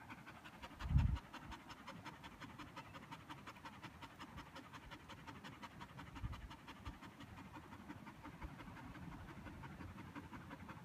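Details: Border Collie panting, tired after a game of fetch; rapid, even breaths repeat several times per second with no pauses, soft and steady, with a low thump near the start.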